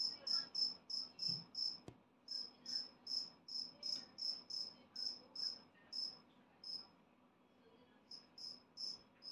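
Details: Two-spotted cricket, newly emerged as an adult, singing its bright 'piri piri' chirps at a quick, even pace. The chirps pause once around six seconds, then resume near the end over a quiet background.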